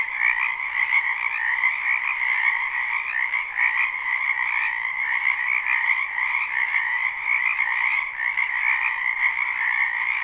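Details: Live, unlooped recording of croaking frogs in a spring wetland behind a home: a constant massed chorus of rapid trilling calls, two layered pitches humming together, with one faint click near the start.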